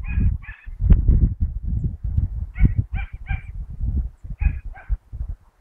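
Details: Dachshund named Mota chasing rabbits, recorded 22 August 2012; sharp, nasal yelps come in pairs and a triple burst, about seven in all, amid heavy low rustling and thumping from the dog pushing through vegetation.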